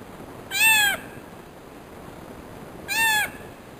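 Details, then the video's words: Domestic cat, a female giving birth, calling: two drawn-out, slightly arching meows about two seconds apart, each rich in stacked harmonics over a faint background hiss. "My cat when she gives birth"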